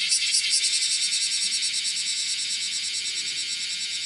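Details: Bear cicada (Cryptotympana facialis) calling as it walks across a window screen, recorded 31 July 2018 at 10:03 in the morning; dense, shrill, high buzzing with rapid regular pulses, slightly louder at the start then steady.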